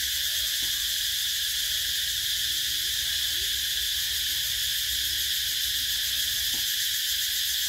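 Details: In summer, cicadas keep up a continuous high, sizzling buzz at constant strength, a seamless wall of insect noise with a couple of soft low knocks in the background.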